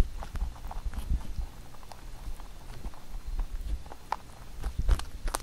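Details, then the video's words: Rabbit Huchu eating a carrot-made songpyeon at Chuseok; fast soft nibbles and scattered crisp crunches over low thuds. "토끼 후추의 당근송편 먹방 ASMR / Rabbit eating sound with Carrot SongPyeon"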